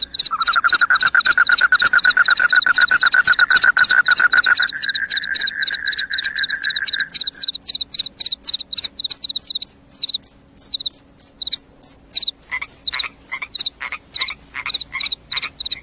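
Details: Shrill cricket chirps pulse rapidly and high throughout, with a lower, steady buzzing trill beneath them for the first seven seconds. Afterward the sharp, regularly spaced chirps continue alone. Described as loud and sleep-inducing.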